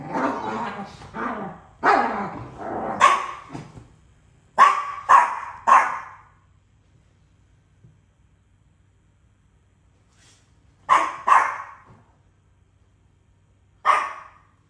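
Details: Two dogs disputing ownership of a toy: a rapid run of loud sharp barks and snarls, then quiet, followed by three clustered barks and a final single bark.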